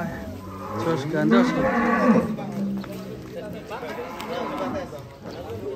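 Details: Deep, drawn-out lowing from Belgian Blue cattle at an extreme-class contest at Bintang Tani Farm in Indonesia, one strong rising-and-falling moo in the middle, with voices and crowd chatter around.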